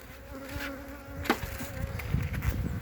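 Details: Honey bees from a colony on three frames, recorded 14 February 2021: a steady low buzzing hum with a faint overtone, brief knocks, and handling noise toward the end.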